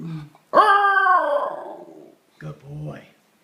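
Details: Indoors in November 2013, Ginger Snap, an eighteen-month-old female Basenji, gives one loud yodelling 'hello' that swoops upward and then trails off downward, followed by a softer vocal sound.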